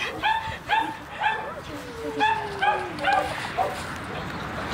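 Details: French Bulldog giving a series of about eight short, high yipping barks, roughly two per second, with a soft drawn-out whine in the middle, after a person calls it over.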